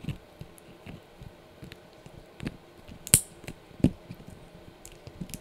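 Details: Blue, a Yorkshire Terrier puppy, crunches on a dried bunny ear indoors; scattered sharp crunching bites and softer chewing clicks come at irregular intervals, with two louder snaps midway over a quiet room hum.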